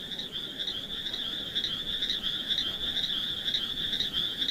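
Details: Several frogs near wet, mossy rocks with snails, their calls merging into a steady, high, buzzy trill with quick rhythmic pulsing and slight rises and falls in pitch throughout.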